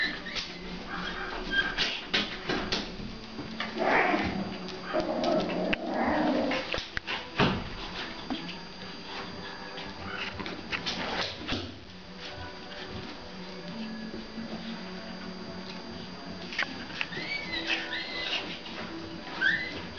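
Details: Pomeranian puppies about one and a half months old from one litter, playing with their mother indoors: high whining squeals and soft growls in scattered bursts, a busy stretch mid-clip, then thin rising-falling whimpers near the end.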